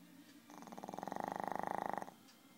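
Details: Very loud snoring from a sleeping Shih Tzu dog: one buzzy, rapidly pulsed breath lasting about a second and a half, swelling in strength and then stopping abruptly, with quiet room sound before and after.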